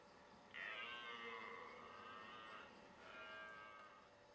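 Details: Red deer during the 2009 rutting season in the Leuvenumse bos, Veluwe, Netherlands: a distant, hoarse, drawn-out roar lasting about two seconds, then a shorter second roar, over steady background hiss.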